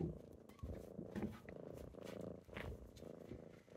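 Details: Kittens purring while waking someone up in the morning: a low, steady rumbling purr in rhythmic pulses of under a second each, with soft rustling and small clicks over it.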